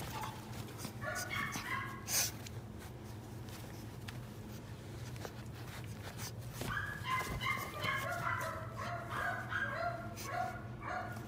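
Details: Female Pekingese puppy with a cream coat, born 9 October 2020, whimpers in quick runs of short nasal squeaks that bunch together, then fade, with a constant low mechanical hum and faint knocks behind.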